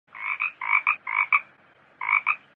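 A frog gives hoarse, double-pulsed croaks in quick pairs, with a short pause before the last pair.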